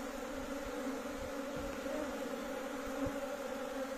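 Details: Honey bees of a big colony kept at home by a beekeeper, a steady droning hum with a low fundamental and a brighter overtone, even and unbroken throughout, with a few faint low thumps.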